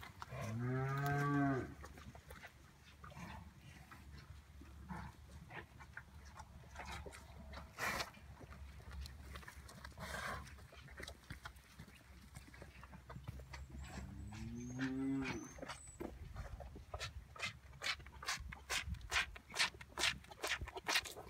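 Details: At Oak Creek Farm, Hereford calves and their mothers; two low, resonant moos about fourteen seconds apart, the second slightly rising, separated by rustling, with rapid ticking clicks near the end.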